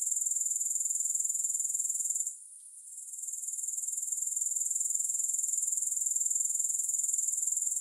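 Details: Shrill, rapid insect trill from grasshoppers, no music added; the steady pulsing chorus fades out briefly around two seconds in, then swells back and carries on evenly to the end.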